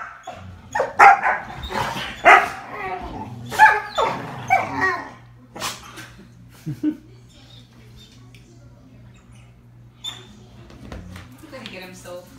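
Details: Two Dalmatians playing on a couch, one barking at the other; a burst of loud irregular barks early on, fading into quieter scuffling and occasional soft yips.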